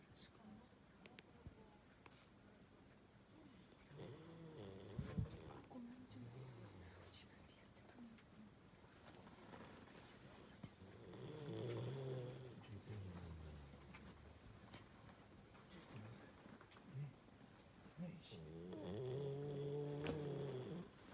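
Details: Koharu, a Great Pyrenees, snoring in a quiet room: three low, rough, droning breaths spaced several seconds apart, each swelling and fading, with faint background hiss between them.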